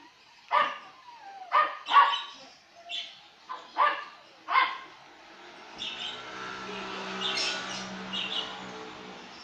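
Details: Male Maltese dog offered at a pet shop, giving a series of short, sharp barks roughly once a second, then falling quiet while a faint vehicle hum and soft background noise fill the rest.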